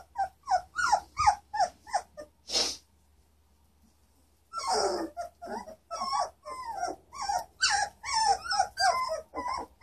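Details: German Shorthaired Pointer puppies, three weeks old, up and about in Eugene, Oregon, April 2013; rapid bursts of squealing whines and yips, a short pause of about two seconds, then the litter resumes with dense overlapping squeaks.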